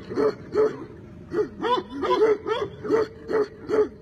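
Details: Tibetan Mastiff barking in a steady series, about nine short mid-pitched barks spaced roughly every half second.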